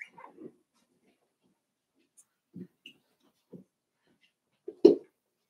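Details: Daisy's five-week-old Cavalier King Charles Spaniel puppies, indoors in their pen, give scattered brief low whimpers and grunts, ending with one louder yelp-like squeal, with near silence between the sounds.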